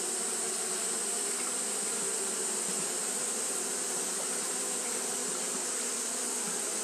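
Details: Steady whirring of Japanese honey bees fanning throughout a hot day: a thick droning hum, low bands wavering slightly, topped by a persistent high hiss that never lets up.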